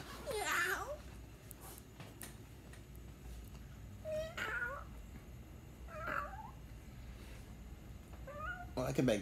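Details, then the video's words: Domestic cat meowing: four short, wavering meows spread over several seconds against a steady, noisy indoor background. "The cat meow"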